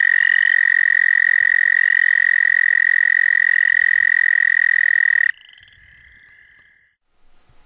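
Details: An American toad, a common local species calling from about April at almost any water source, gives a long, steady, high musical trill that holds one pitch for several seconds.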